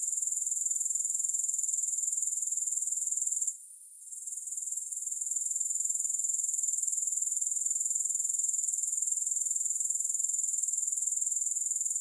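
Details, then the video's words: High, sizzling grasshopper chorus with no music, fast regular pulses running unbroken except for one short drop in loudness a third of the way through. "3 Hours of Grass Hopper Sounds"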